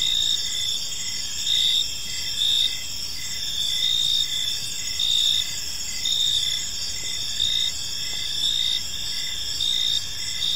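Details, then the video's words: Evening cricket chorus in a tranquil park: sustained shrill trilling with rapid pulsed chirps, louder bursts recurring about every second or two, over soft distant low noise. "Park Serenade: Cricket Sounds in a Peaceful Park"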